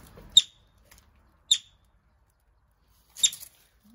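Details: Three brief, shrill chirps from a yellow-bellied marmot arriving at a wildlife recovery centre, the first two about a second apart and the last after a longer pause, with near silence between.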